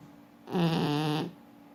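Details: A single loud, drawn-out snore from Forsik, a French Bulldog sleeping indoors: a deep, vibrating, harmonic rasp lasting under a second.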